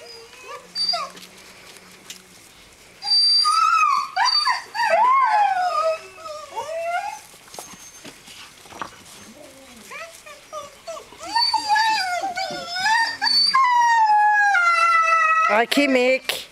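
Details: Three litters of Greenland Dog puppies, aged seven weeks, playing together on the farmyard at Tinka's Kennel in June: bursts of excited, overlapping yelps and squealing whines, quieter pauses between, and a sustained howl near the end.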